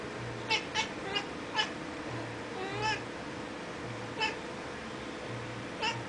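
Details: Excited female kitten chattering at birds seen outside a window: soft, clipped chirps, some in quick pairs, spaced by short pauses, with a faint background hum.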